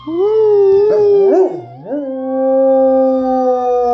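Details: Cisco, a Rottweiler, howls along with a siren sound effect after a little prompting: a sustained, rich, harmonic tone that wavers and dips briefly, then settles into a long, steady, slightly falling note.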